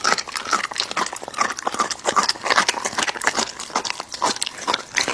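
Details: American Bully dog tearing and chewing raw meat close up; rapid, moist smacking and crunching bursts follow one another without a break.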